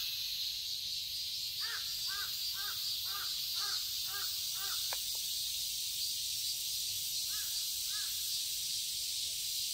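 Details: Summer cicada chorus in a garden in Seoul, Korea: an unbroken shrill buzzing wall of sound, while a crow gives a quick series of about eight caws, then two more near the end.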